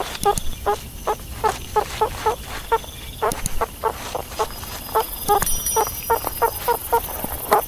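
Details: Meerkat uttering irregular short peeping calls, some doubled, spaced a few tenths of a second apart, with low rumbling noise underneath.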